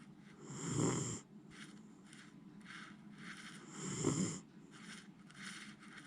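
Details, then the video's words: Jiji, a Miniature Schnauzer, sleeps deeply and snores heavily. Two strong throaty snores roughly three seconds apart, each with an airy wheezing hiss, and softer breaths between them. "ミニチュアシュナウザー(ジィジィ）、 立派ないびきで爆睡！"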